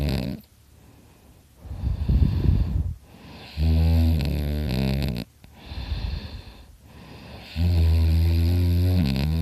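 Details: Dakota the dog asleep indoors, snoring very loudly: deep rumbling snores with a buzzy, harmonic inhale alternating with rougher breathy exhales, each cycle lasting around two seconds and repeating steadily.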